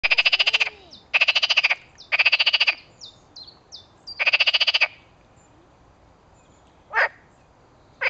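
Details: Edible frog croaking. Rapid, rattling, pulsed bursts about half a second long come four times in five seconds, then shorter single croaks follow over a quiet background with faint chirps.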